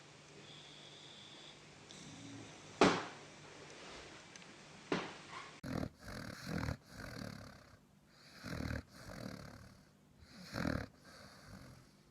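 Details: Dog snoring while sleeping, quiet at first, then a run of short snorting, throaty breaths roughly once a second, uneven in loudness.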